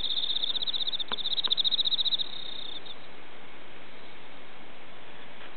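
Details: Night-time cricket wing sound amid a run of extremely hot days, evoking autumn while moon-viewing; a rapid high pulsed trill lasts about two seconds, broken by a couple of sharp clicks, then stops, leaving quiet hiss.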